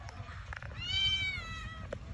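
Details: Cat up in a tall tree, meowing while people below call to it in Bengali to come down: a single drawn-out, high meow with even overtones, lasting nearly a second, between voices and outdoor noise.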